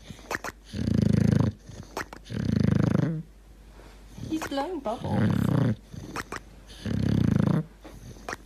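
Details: Sleeping dog snoring deeply: broad, low, buzzy snore bursts every couple of seconds, and a short warbling gurgle in the middle between snores.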